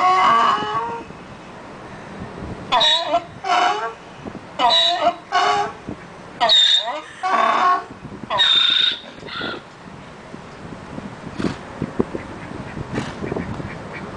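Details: A donkey braying: a run of loud, harsh honking blasts alternating in a see-saw rhythm, about seven bursts in quick succession over some seven seconds, then quieter scattered noises and background hiss.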